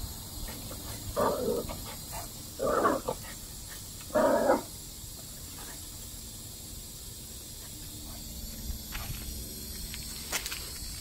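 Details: Tuffy, a five-month-old Rat Terrier pup meeting a turtle named Tiny for the first time, gives three short sharp barks about a second and a half apart, then falls quiet over steady background hiss and faint clicks.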